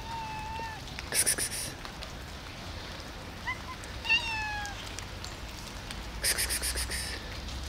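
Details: Hungry street cats and kittens fed outdoors on a rainy Sunday morning. Two drawn-out, slightly falling meows sound about three seconds apart over steady rain patter, with bursts of rapid high clicking and faint human speech.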